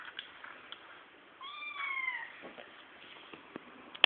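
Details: A Bengal kitten, one of a pair kept indoors, gives one clear meow of under a second that bends gently downward. Small taps and handling noises follow in a quiet room.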